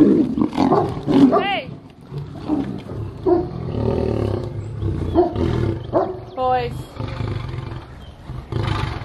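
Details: Tigers, a liger and a Siberian tiger, snarl and roar harshly in short, rasping bursts as they fight in a Russian zoo.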